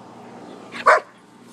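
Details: A poodle and a shepherd playing together out back; one short, sharp, loud bark bursts out near the end after a quiet stretch.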